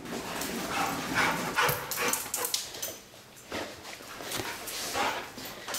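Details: Pet dog Lady Bear whining excitedly indoors as she welcomes her returning owner home, part of a joyful greeting ritual with furious tail wagging; short high whimpers come in irregular bursts alongside rustling movement and a man's voice calling her name.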